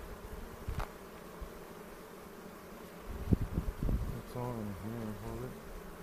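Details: Honey bees humming during a second hive inspection of the 2018 season near Cochrane, in the foothills, on April 27, filmed with a 360 camera while checking for queen cells; a steady low drone, handling knocks, and a voice toward the end.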